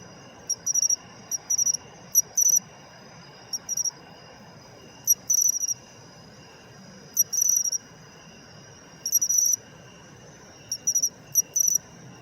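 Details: Matsumushi, the pine cricket, singing in autumn; crisp high chirp groups, one clipped note followed by a rapid run of three or four pulses, repeating irregularly every one to two seconds over faint low background hum.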